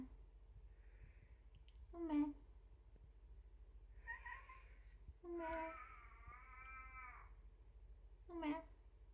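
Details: Umeka, a rescued female kitten kept indoors as a pet, known for her 'silent meow'. She gives four meows: a short one, a faint one, a long drawn-out harmonic wail lasting almost two seconds, then a final short one. Quiet gaps fall between them.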